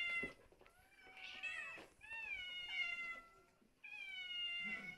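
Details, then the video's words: Domestic cats at a small home shelter calling out "mama-mama": three drawn-out, wavering meows, each about a second long, separated by short pauses, set in a quiet indoor room. "Котики кричат мама-мама-мама!"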